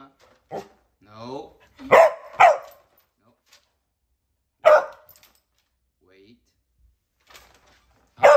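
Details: Excited black and white Cardigan Welsh Corgi, a male raised in California, USA, waiting at his gate during home training; sharp single barks and a quick double bark in bursts, separated by silences, alongside a person's short spoken words indoors.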